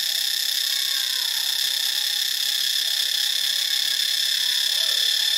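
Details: A cicada chorus from Ubon Ratchathani, Thailand, holds a continuous, harsh, metallic whine at unchanging volume. Faint gliding squeaks sit far below it.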